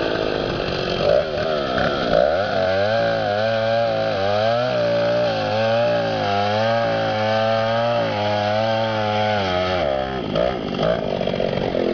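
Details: A chainsaw runs steadily for about ten seconds, its droning engine pitch wavering slightly, with outdoor wind noise and no animal voice heard.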